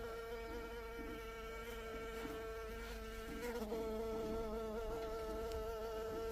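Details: Honey bee in continuous buzzing flight. The hum is even and harmonic-rich and wavers slightly in pitch, dipping briefly just past three and a half seconds, with no breaks or other sounds.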